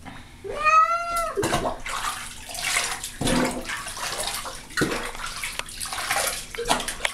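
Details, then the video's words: Baby, a pet cat being washed in a bathtub and clearly unhappy about it, lets out one loud, drawn-out meow that rises and then falls. Splashing water and the scrubbing of the bath follow. "My Cat in Bathtub"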